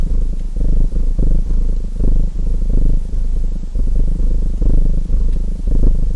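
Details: Domestic cat purring beside a crackling fireplace: a deep, steady rumble pulsing in alternating breaths about twice a second, low and continuous throughout.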